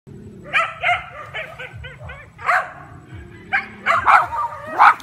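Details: Miniature Schnauzer barking while facing off against a carabao: short, sharp barks in irregular bursts, a few close together and louder toward the end, over a low rumbling background.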